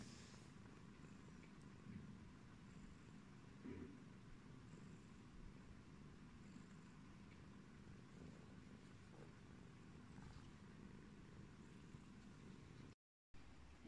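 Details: Face-washing yellow British Shorthair cat Pumpkin keeps up an unbroken low purr, joined by occasional soft grooming sounds, with a short gap near the end.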